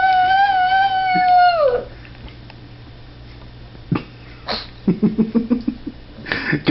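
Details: Abner the pug howling at a squeaky toy: a sustained tonal howl slides downward and fades within two seconds, followed by quiet room noise, scattered clicks and a quick series of short low sounds.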